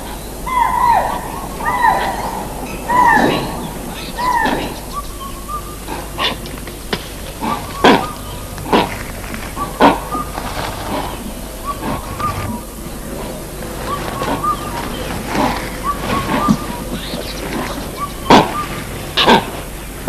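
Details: Spotted deer echoing the langurs' alarm in their own high-pitched fashion, warning that a leopard is present. Sharp, barking calls come in quick bursts early on, then scattered shorter cries, with clicks and rustling in the background.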